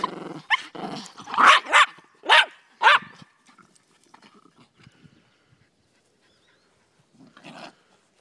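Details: Two Miniature Pinscher / Rat Terrier mixes named Daisy and Rose during a game of fetch give a quick run of five or six loud, sharp barks over three seconds, then near silence and a last softer bark.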